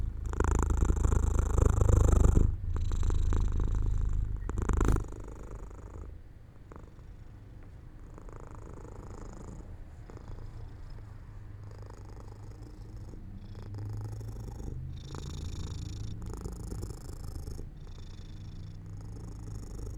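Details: Pet cat dozing off by an open window in the sun, producing a low pulsing purr that is loud for the first five seconds, then fades to a soft, faint rumble with light rustling.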